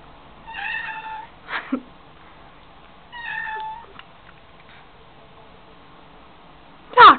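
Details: A domestic Siamese cat singing in a bathroom sink makes two short, clear meows about two and a half seconds apart, with faint clicks and rustles between them, then a person calls out loudly at the end.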